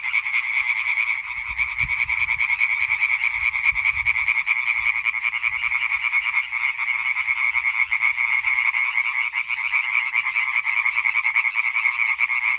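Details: Massed European tree frog chorus from 20 May 2023, countless quick croaks running together into a harsh rattling drone, evenly loud throughout with slight flickering pulses and faint low background noise.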